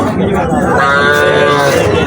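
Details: Desi cattle at the Habiganj cattle market, Bangladesh, where a local cow and her month-and-a-half-old calf are offered. A loud, sustained moo fills the whole moment, rich in harmonics and gently wavering, with crowd murmur behind.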